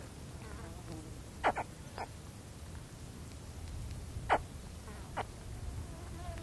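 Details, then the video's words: Close contact calls of a baby spectacled caiman, a few brief grunting chirps sweeping downward, widely spaced, with faint wind and low background rumble. "Spectacled Caiman / CU Contact Calls From Baby Caiman"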